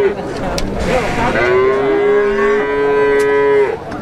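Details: Six-month-old Pegon calves at the Plaosan cattle market in Magetan; one high, drawn-out moo rises gently and holds steady for about two seconds, with rich harmonics, over market chatter and background noise.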